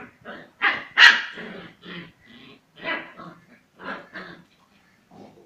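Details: Kombai puppies, among them the female Kanmani, in rough aggressive play: a short burst of spaced yapping barks, the loudest near the start, fading into softer yips.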